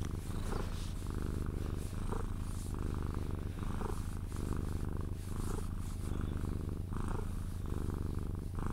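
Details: Cuddled Sphynx cat purring until falling asleep, a dense unbroken low rumble with soft rhythmic swells as it breathes in and out, and faint rustling of hands or fabric over the top.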